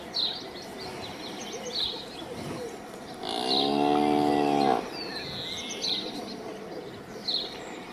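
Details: Cow gives one steady moo of about a second and a half amid background hiss, while birds chirp and whistle faintly throughout.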